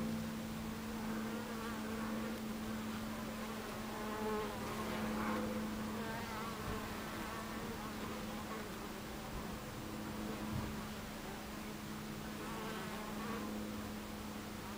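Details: At a hive entrance on 26 July 2013, 14:30, honey bees give a constant layered buzz, with one bee's steady low hum holding close for several seconds before fading, over a background of many wings.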